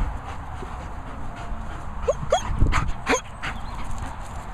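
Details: Two German Shepherds: a few short, rising, high whimpers and sharp yips cluster within about a second, over steady low background rumble.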